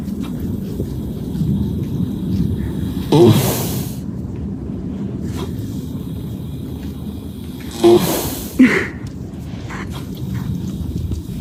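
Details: A sleeping horse snoring: two rough, breathy snore bursts about five seconds apart, each with a brief snort-like catch, over a steady low rumbling background.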